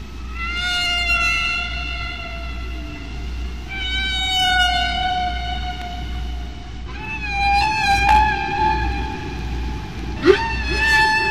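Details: A single humpback whale, recorded by hydrophone in deep water near Bermuda in spring and heard at natural speed, sings long, drawn-out squeaky tones rich in overtones over low rumbly ones, echoing off waves and submarine canyons.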